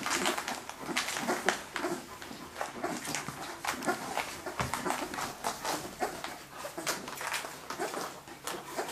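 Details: Leonberger puppies of an F litter in a Hungarian kennel, October 2011, breathing in quick, soft, irregular pants with scattered faint whimpers indoors.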